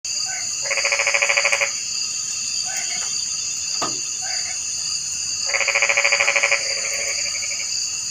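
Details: Frog calling: two rattling, pulsed trills about a second long, spaced roughly five seconds apart. Fainter short croaks fall between them. A steady high-pitched insect drone runs throughout.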